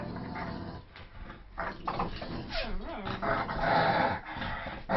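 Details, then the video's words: Dogs playing tug of war, a Staffordshire Terrier, a German shepherd and a poodle mix, growling in rough, continuous bursts with rising and falling whine-like tones mixed in, the noise of the struggle underneath. "Dog tug of war"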